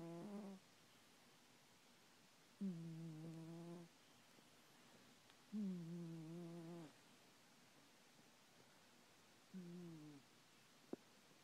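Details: Sleeping domestic cat snoring at night, four steady, humming snore tones of about a second each, repeated roughly every three seconds with silent gaps in between.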